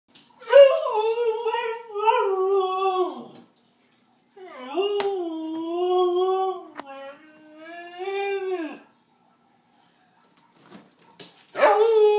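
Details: A female Siberian Husky 'talks' while her dinner is being prepared, in long, wavering, howl-like vocal moans that rise and fall.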